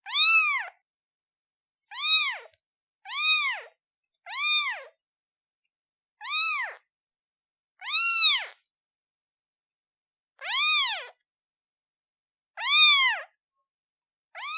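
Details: Newborn kitten calling its mother: nine clear, arched meows with rich harmonics, each under a second, spaced irregularly one to two seconds apart over a silent background.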